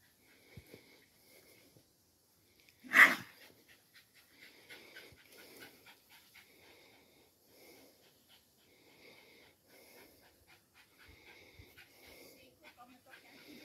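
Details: Lenny, a Parson Russell Terrier (Attractive Aramis of Green Spirits), on a visit to his new friend Mackie, pants in soft, breathy, rhythmic puffs; one sharp loud knock near the start, then quieter steady huffing.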